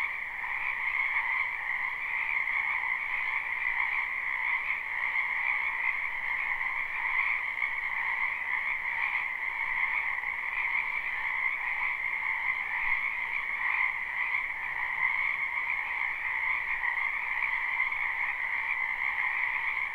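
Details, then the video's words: Frogs croaking in a wetland during spring, captured live without looping: a thick, even wall of rapid trills holding steady at a middle and a higher pitch throughout, no other clear sounds. "Ambient Noise for Sleep Frogs"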